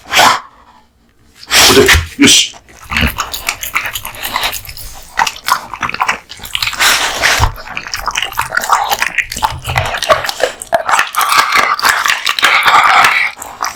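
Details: American Bully dog, a male, eating a large lunch of raw meat and bones; wet crunching, tearing and gnawing sounds run almost continuously, with brief pauses and bursts of louder chomping near the start.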